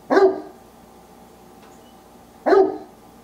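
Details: Wallace, a pet Old English Sheepdog, barks to tell his owners what is on his mind: two short, sharp, loud barks about two seconds apart, with quiet room background between them.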